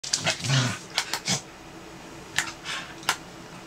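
Corgis scuffling, with a low growl and sharp, snapping barks in quick bursts.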